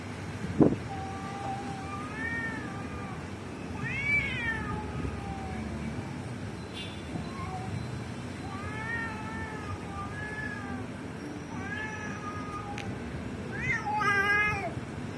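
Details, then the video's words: Cats fighting: drawn-out, wavering yowls rise and fall in pitch, repeated every few seconds, with a sharp hiss-like burst at the start and a harsher screech near the end over a steady low rumble. "Cat Battle"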